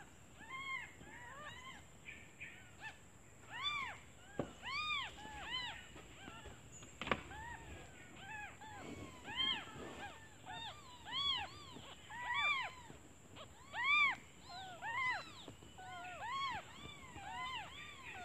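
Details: Newly born kittens crying for their mother out of hunger while she is away hunting for food; many quick overlapping high mews from several young, uneven rhythm, faint clicks and a constant high whine behind.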